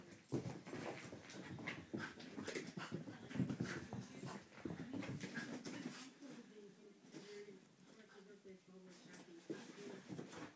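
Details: Eddie, a Border Terrier, having one of his usual crazy mad moments: drawn-out, high whining whimpers, steady in the second half, with people talking over him and shuffling sounds.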